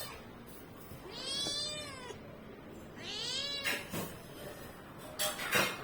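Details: Domestic cat giving two drawn-out, harmonic meows that rise then fall, about two seconds apart, followed by a few sharp knocks or clicks near the end.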